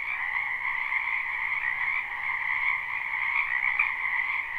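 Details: A dense chorus of many frogs from a spring wetland beside a home, a live recording: continuous rapid croaking in two layered pitches, level and unbroken.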